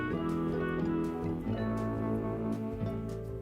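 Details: Instrumental music with sustained tones and no animal voice.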